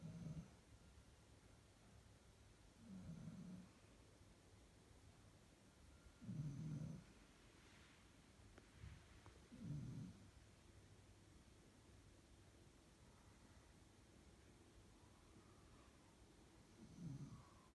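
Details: A pack of German Shepherds asleep, giving deep, rumbling snores at a slow, steady pace of about one every three seconds, with near-silence between the breaths.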